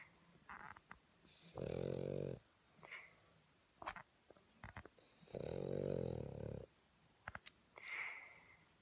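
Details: A sleeping Boston Terrier snoring indoors: two long, low, rasping snores about four seconds apart, each with a buzzy tone, and faint higher wheezy snorts between them.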